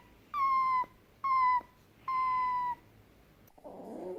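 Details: Three drawn-out, level whining calls from a fennec fox, each slightly dropping in pitch at its end, followed by a click and soft rustling.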